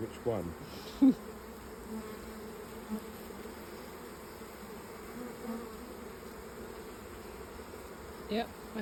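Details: Honey bees of a late swarm jammed into an old hive, heard as it is opened; a soft steady hum under several short sharp knocks and handling noises.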